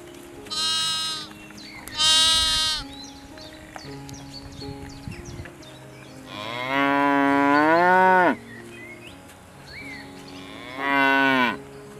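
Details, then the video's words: Farm cow calls: two brief, brighter, higher calls come first. Then a long, deep moo of about two seconds slides downward, and a shorter moo follows near the end. Small birds chirp faintly throughout. "Kids Cow Video With Mooing"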